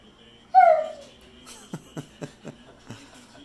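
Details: Pit Bull named Zeusy, a male pet dog indoors, begging for more chicken: one short, bright, falling whining howl, followed by a series of soft tapping clicks against a quiet room.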